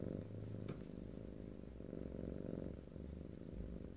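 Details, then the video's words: Deep steady purr of a pet cat, a dense low rumble with a brief soft tick near the start, captured up close in stereo without talking. "ASMR Cat: Purring"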